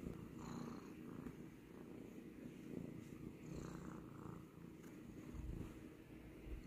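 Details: Continuous low purr of a domestic cat, a rough buzzing rumble with soft rhythmic swells of breath, steady throughout.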